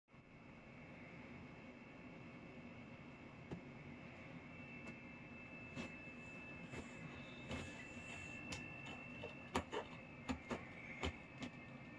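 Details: A constant low room hum runs throughout under a thin, steady high tone. Sharp clicks and scratching taps come and go in the second half, with no animal calls.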